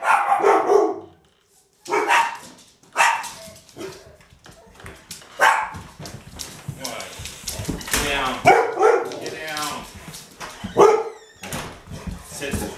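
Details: Agitated dog barking excitedly, going ballistic; loud, harsh barks come in irregular bursts with short pauses, mixed with human speech in the background.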